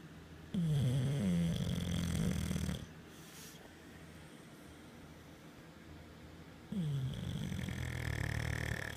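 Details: Mater, a male English Bulldog sleeping on his pregnant owner's belly, snores with deep, rattling breaths separated by a quiet pause.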